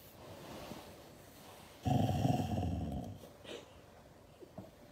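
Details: An angry Siberian Husky reacts to a hug with a single deep, gravelly growl of about one second, loud and buzzing, followed by faint shuffling and small clicks.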